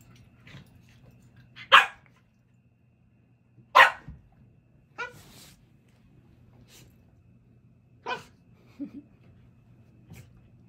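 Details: Cardigan Welsh Corgis at play, a puppy and a dog: sharp barks at about 1.8, 3.9, 5 and 8.2 seconds with quieter yips between, over a steady low hum.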